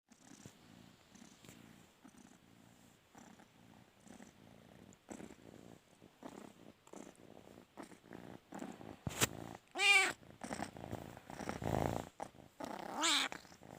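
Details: Indoor cat wanting to sleep on its owner's bed: soft, pulsing purring builds into a loud, drawn-out wavering meow near the ten-second mark and a shorter meow just before the end.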